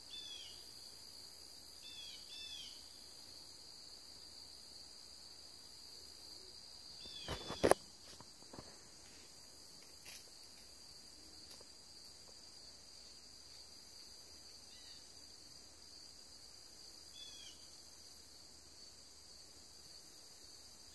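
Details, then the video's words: Crickets calling on a September 13th afternoon, Thursday at 2:40 P.M., outdoors near a house: a steady, unbroken high-pitched drone throughout, with a few short chirps near the start and end and a sharp knock around the middle. "Crickets and Distant Train Horn."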